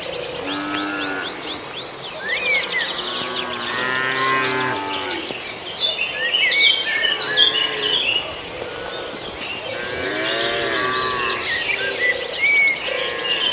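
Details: Several tame cattle grazing in a field as the herd heads to its pen; clusters of overlapping moos early on and again near the middle, separated by quieter gaps, with birds chirping steadily behind.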